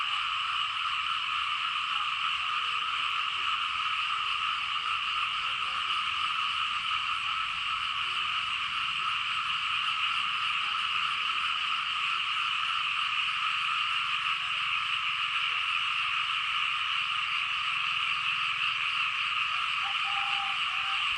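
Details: Frogs on rain-soaked fields in Laos keep up a long chorus. A dense, unchanging trill in mid and high bands carries on for about twenty seconds, with a faint low rumble beneath.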